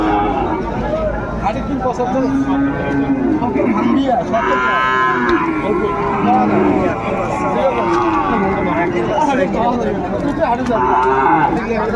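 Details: Bull calves at a busy cattle market on 30 June 2024 moo repeatedly with long, harmonic lowing calls across twelve seconds, while traders talk and haggle in the background.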